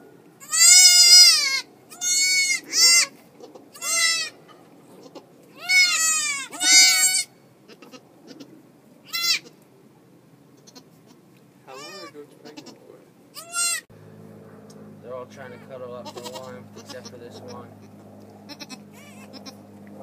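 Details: Farm goat in March as the mother gives birth; a burst of loud quavering bleats, then fainter scattered ones, before a steady low mechanical hum fills the last seconds.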